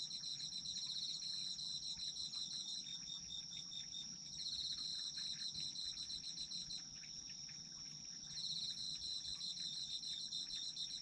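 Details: Autumn insect chorus with a constant high shrill note and bursts of rapid pulsed chirping that pause around the middle, leaving the steady trill alone, then start up again; faint low background noise throughout.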